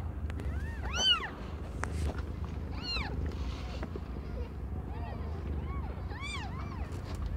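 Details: Young cat Aimee giving birth to five kittens of varied colours; scattered short, high mews, rising and falling, in small clusters, with clicks and a steady low-frequency rumble behind.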